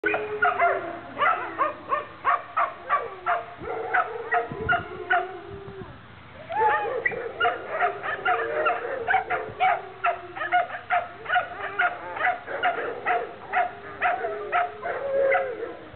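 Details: Two Alaskan Malamutes, almost ten and two and a half years old, play in a kennel yard in April 2009. They give a steady run of short, harmonic yips and grumbling woo sounds several times a second, with wavering whines rising and falling between bursts.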